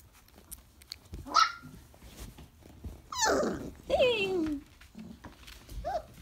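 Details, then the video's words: Young Briard puppies, 4.5 weeks old, whining: a brief high squeak, then two drawn-out, falling, nasal cries, over low indoor background sounds. "4.5 Week Old Briard Puppies"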